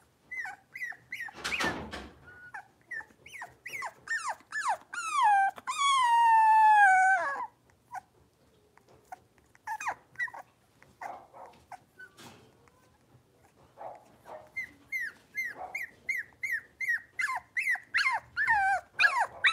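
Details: Five blenheim Cavalier King Charles Spaniel puppies in an indoor pen; rapid repeated high yips, a long drawn-out wavering squeal of about two seconds, then further bursts of sharp yaps and whines, densest near the end.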